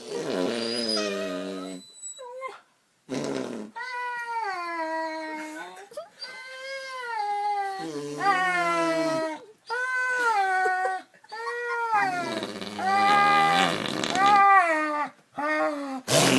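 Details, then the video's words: Poodle upset by fart noises made on an arm, howling in a long series of wavering, yodel-like notes that rise and fall, broken by short gaps of silence, with occasional faint human sounds. "poodle hates fart sounds"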